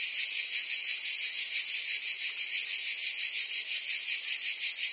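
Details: Summer chorus of cicadas in Provence, southern France, a shrill continuous rasping hiss that pulses rapidly and never pauses, holding an even volume from start to finish.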